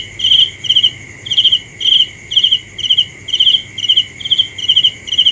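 A cricket chirps in regular bright pulsed bursts, about two per second, with a steady high hum behind.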